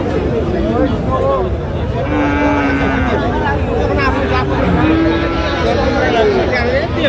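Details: At the Raniganj market in Dinajpur on 25 January 2026, where Friesian and crossbred bull calves are traded, cattle give several sustained, slightly sliding moos amid constant human babble and the hum of vehicles.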